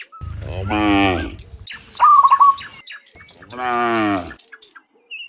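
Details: Cows, dozens of them, mooing on the way back from the fields to the pen in the afternoon: two long, resonant moos with a brief burst of chirpy bird calls between.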